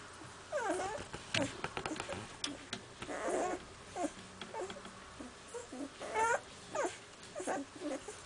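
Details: Newborn puppies of the dog Iska, six days old, fussing together: many overlapping high whines and squeaks, some wavering and drawn out, mixed with clicking, smacking and shuffling noises through the whole stretch.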